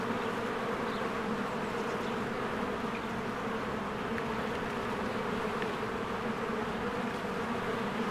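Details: Swarms of honeybees working at the hive entrance in spring; a steady, rich buzzing hum from many insects, evenly loud, with scattered faint bird calls in the background.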